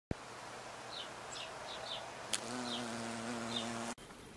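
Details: A bee pollinating flowers hums with a steady low buzz that deepens into a richer, fuller drone.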